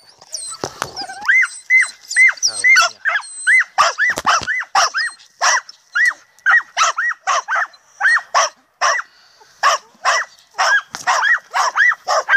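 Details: A Podenco Andaluz, climbed up a tree at night and relentlessly harassing a cat, gives rapid, high, yelping barks, about two each second, after a few whining yelps.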